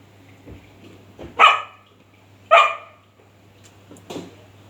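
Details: Dog barking at a cat: two loud, harsh barks about a second apart, followed by a weaker third bark, over a steady low hum and faint background noise.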